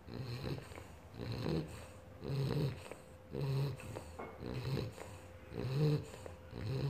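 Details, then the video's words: A three-month-old British bulldog puppy snoring while asleep: low, soft rasping breaths rising and falling roughly once a second, each snore a short rumbling burst with faint wheezy overtones, steady rhythm throughout. "3 months old British bulldog snoring"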